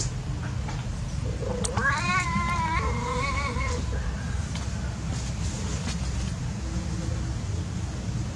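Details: Playing cats outdoors; one cat lets out a long, wavering, yowling caterwaul of about two seconds, followed by softer short mews, over constant low rumbling background noise.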